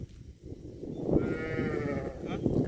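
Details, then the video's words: Cattle in a compilation of funny cow moments: a drawn-out harmonic moo lasting about a second, held steady before fading, over a rumbling, noisy background. "CUTE AND FUNNY COW SOUND VIDEOS COMPILATION"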